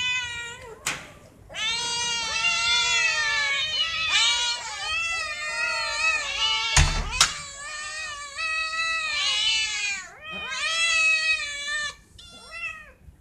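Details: Several domestic cats meow insistently for food or attention. Long, bending, overlapping meows follow one another almost without pause, broken by a couple of sharp knocks.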